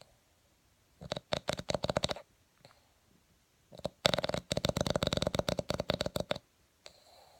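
A sleeping Boston Terrier snores in rattling, fluttering bursts separated by quiet pauses.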